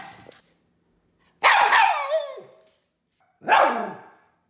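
A poodle gives two loud, ringing barks, each trailing off into a falling whine.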